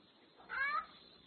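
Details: Tom cat protecting the mother cat and his turf from a raccoon that came too close, at a cat house in the morning: a single brief, strained meow that rises then falls, over a quiet hiss of background noise.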